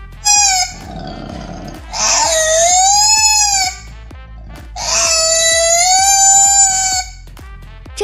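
A koala gives two long, wavering wails that sound strikingly like a crying baby.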